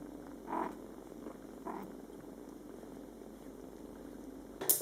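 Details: Mother cat Coco with her Scottish Fold kittens, born July 22, 2012, in their first month of life, talking to them. A steady low purr runs throughout, broken by two brief soft mews early on, with a sharp click at the end.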